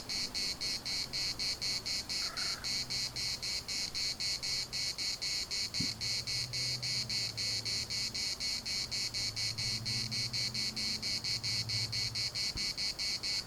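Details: Larnaca municipal park cicadas in Cyprus keep up a shrill, evenly pulsed buzz at about four beats per second; a brief faint call near two seconds and low background hum also heard.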